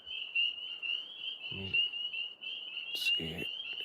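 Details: Tree frogs calling together at night from up in a maple tree, a continuous high trilling chorus; two short low dog-like sounds and a sharp click break in briefly.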